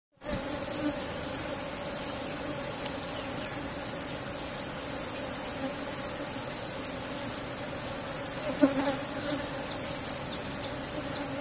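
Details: Asian honey bee colony in a cultivated box hive during honey harvest, giving a steady, dense, droning hum with a low fundamental and bright overtones throughout, a few faint clicks and a brief soft voice near the end.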